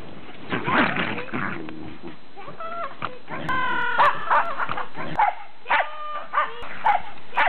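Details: Pembroke Welsh Corgis playing in deep snow give harmonic yips and short barks in irregular bursts, some high and ringing, others lower and rougher, with snow rustling between calls.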